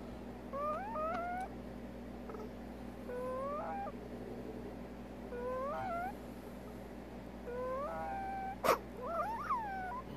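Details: Captive female prairie dog suffering from odontoma disease, abnormal vocal sound. Short bursts of squeaky, bending whistled notes with rising and falling tones in several clusters, one sharp click near the end, constant low room hum.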